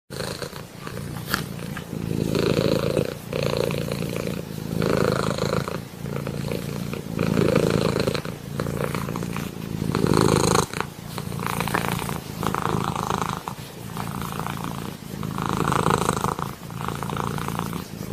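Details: Kitten purring smoothly: a low, rumbling, continuous vibration that swells and fades in rhythmic waves with each breath, roughly every one and a half seconds, for about eighteen seconds with no other clear sounds.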